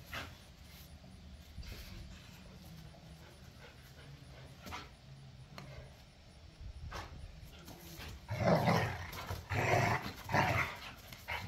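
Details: Rough back-yard play among pit bulls and a Malinois: a long hushed stretch with faint rustling, then three or four harsh growling barks packed into the final few seconds.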